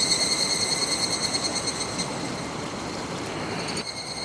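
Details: Evening cicada (higurashi) calling by the clear Kataigawa river on 1 August 2021: a high ringing tone with stacked overtones, pulsing rapidly at about three beats a second, fading near the end over steady rushing stream water.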